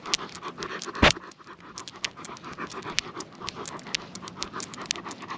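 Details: Night walk with Lucia the Great Pyrenees and Timmy the Golden Doodle: quiet, quick huffing pants repeat steadily, broken near the start by a sharp scratching click, over a faint background hiss.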